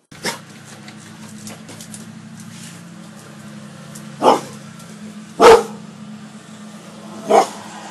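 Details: Pet cane corso Gia and bullmastiff Deuce, trained to bark on command and to guard the house; a few separate loud barks spaced seconds apart over a steady low indoor hum.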